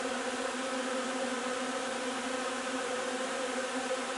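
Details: Many honey bees at their hive while gathering linden nectar on 3 June, producing a constant, even buzzing hum of layered tones without pauses or other clear sounds.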